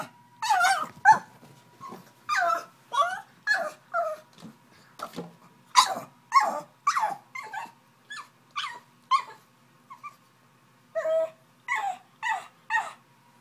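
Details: Pug, described as angry, straining to reach a bottle: a rapid irregular string of short nasal whimpers and yips, some rising and falling, bunched in bursts with a short pause midway, over a faint steady hum.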